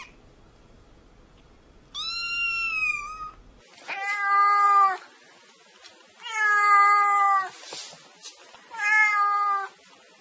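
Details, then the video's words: Black kitten mewing: one high, thin meow followed by three longer, lower, steady meows with rich overtones, each lasting under a second, in a quiet room. "Tiếng Mèo Kêu Meo Meo"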